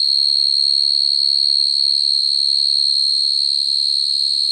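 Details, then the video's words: A male field cricket's natural night-time call to females, used to trap crickets: an even, piercing trill sustained at one high pitch for the whole stretch, with a faint low murmur underneath. "Tiếng dế mèn kêu, dế cơm kêu dùng để bẫy dế chuẩn"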